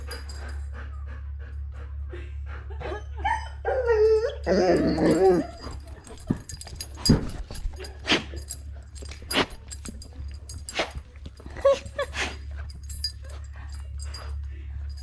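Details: Female Labrador Retriever kept as a pet, excited by watching her own footage, gives wavering, high-pitched whines and short yips, strongest in the first third, while a woman praises her over soft music.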